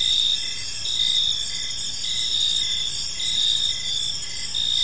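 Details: Gentle chirping of crickets in a serene park at evening. Short sharp chirps repeat rapidly over a constant high, ringing trill from many insects.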